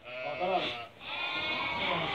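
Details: Merino sheep from Hungary, shown to a Turkish customer, bleating twice: a short wavering cry, a brief pause, then a longer sustained nasal bleat.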